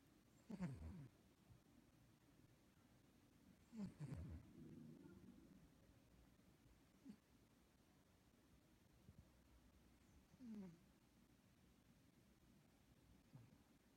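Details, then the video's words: Sleeping cat named Liger snoring rhythmically while passed out; short low snorts with a sliding harmonic edge recur roughly every three seconds, with fainter ones between them, over a quiet indoor background. "Liger Caught Snoring"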